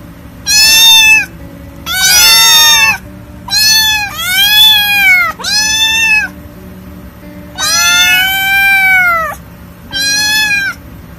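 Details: Seven strong, drawn-out kitten meows come one after another with brief silences between them, over faint background music. The kittens are described as hungry, scared, lonely or angry.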